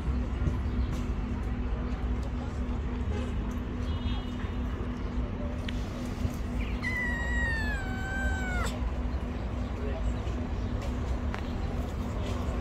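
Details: Stray kittens living on the street, upset that their mother is not with them; one drawn-out meow with a falling then level tone near the middle, over steady low background hum and noise.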